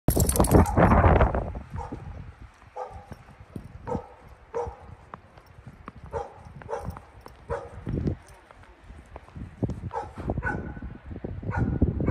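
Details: Dogs barking during a ride past snowy houses; short harsh barks repeat irregularly across the recording, with steady vehicle rumble and noise beneath and a loud burst of sound at the start.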